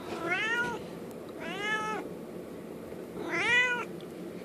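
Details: Merlin the domestic cat meows for his treats: three clear harmonic meows, each rising then falling, spaced roughly one and a half seconds apart over a soft indoor background.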